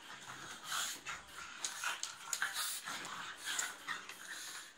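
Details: Pugs in a playful fight, giving breathy, wheezing snorts and pants in uneven bursts roughly every half second to a second, with hissing, rasping breaths between them.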